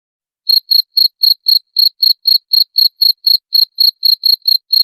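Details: After half a second of silence, a cricket starts a rapid, even series of piercing high chirps, around four each second, from a recording meant to scare off rats.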